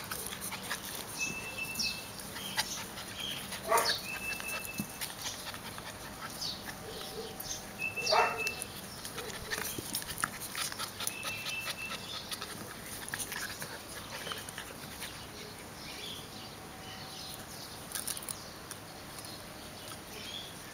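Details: Terrier puppies, the Welsh Terrier Syrius-Laybel W. Bud at 6.5 months and the Airedale Terrier Syrius-Laybel Rose at 2.5 months: two short, sharp yelps around four and eight seconds, with soft scattered squeaks over a steady hiss.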